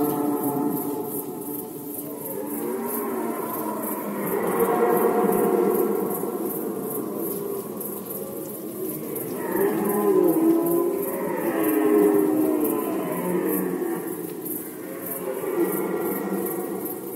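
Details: Overlapping red deer roars during the 2020 rut in Poland, repeated moaning bellows that swell and fade in waves every few seconds. Steady pulsing insect chirps sound high above.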